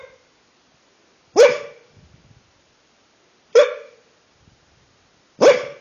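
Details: Dachshund barking while asleep: three separate clipped barks, roughly two seconds apart, each a sudden bright burst that fades quickly, with faint soft snuffles in the silent gaps.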